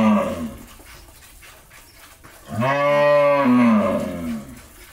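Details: Jersey-Mundi cross dairy cow in Pabna, Bangladesh, recently calved for the first time and kept with her bull calf; the tail of one call opens the clip, then a loud, drawn-out harmonic moo that rises and falls over about two seconds.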